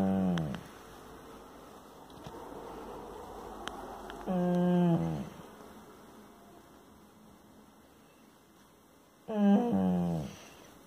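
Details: Bull Terrier; whining grumble; expressing frustration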